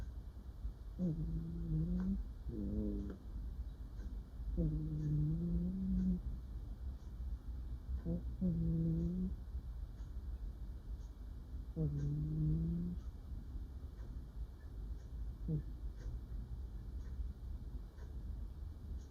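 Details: Female pet cat murmuring while asleep and dreaming indoors: soft, low, nasal mm-like sounds, some slightly rising, in short bursts every few seconds over a low background hum.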